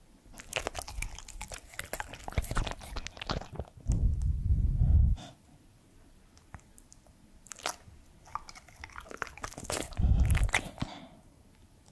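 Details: Crunching, chewing and scratching sounds with low thumps are heard, with no animal calls.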